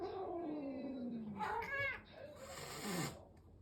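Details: Domestic cat during a new cat's introduction to a resident adult cat: a slowly falling low moan, then harsh, strained higher yowls with hissy breathy edges, indoors.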